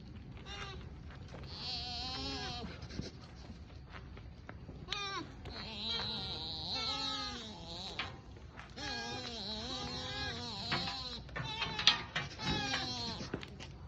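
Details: Sika deer in Nara Park give loud, nasal, bleating calls that waver up and down in pitch, one after another, during a noisy fight between two deer.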